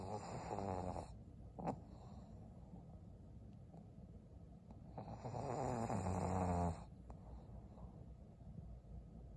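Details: Snores from Maria, a senior fawn pug bitch aged 12, filmed in Japan on 6 December 2022. Two strong raspy, throaty snoring bursts, one at the start and a longer one midway, with low soft breathing and a brief snort between.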